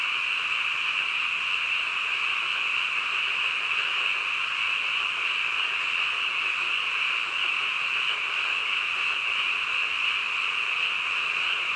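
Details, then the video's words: Frogs croaking together late at night form a continuous, shrill, evenly pitched chorus with a barely pulsing texture and no gaps, over a quiet background. "한밤중 개구리 울음소리"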